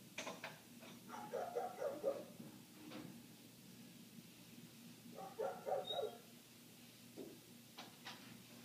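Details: A neighbour's dog keeps barking outside, muffled by closed windows, with indoor clatter and clicks from someone folding clothes nearby. Two rapid bark runs of three to four barks stand out over a steady low hum.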